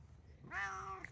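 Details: Short, fairly quiet meow from a male Bengal cat that meows and yowls a lot, a brief tonal cry over a low background hum, with a soft click just after it.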